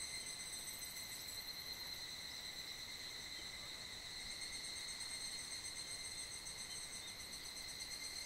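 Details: Many evening cicadas (higurashi) sing together on a mid-July summer evening in a valley at the foot of Mount Kanmuri, Funo, their ringing calls merging into one steady, high, metallic shimmer echoing through the valley.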